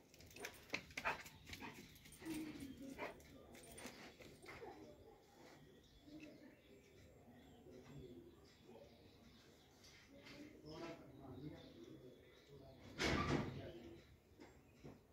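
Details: Doberman dog giving irregular whimpers and short yelps over about fifteen seconds, mixed with people talking in Korean nearby, with one loud broad burst near the end.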